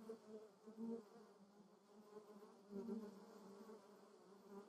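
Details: Honey bee visiting lavender in the Moseltal, Germany: a low, steady buzz swells and fades as it passes close by.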